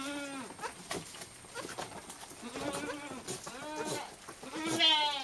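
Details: Three young goats drinking milk, bleating over and over in short, wavering, nasal cries that overlap, with sucking and clicking noises between them.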